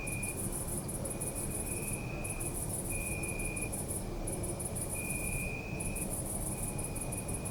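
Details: Night crickets in a city park, recorded with a Zoom F3: dense, rapidly pulsed high chirping in trains of about one to two seconds separated by brief pauses, over a constant low city hum and a faint sustained whine.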